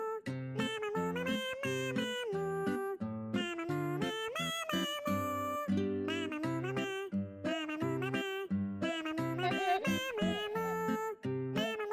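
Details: Cheerful children's-style music with plucked acoustic guitar and a bouncy melody plays throughout, with no animal sound audible.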